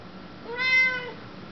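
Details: A female Siamese cat, answering her owner's question as she does every day, gives one drawn-out meow that rises and then falls.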